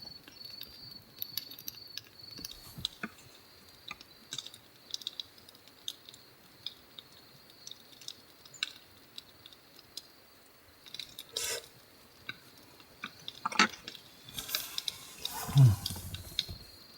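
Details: At night at Morappu campsite on Lake Shikotsu, Chitose, Hokkaido, with temperatures like autumn, a bell cricket rings with a thin, steady, high chirping beneath the crackle and pop of a campfire.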